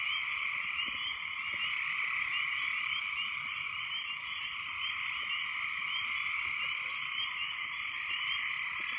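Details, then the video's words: A very loud frog chorus after heavy rains: high, trilling calls blend into a continuous, pulsing wall of sound. "What Do Frogs Sound Like"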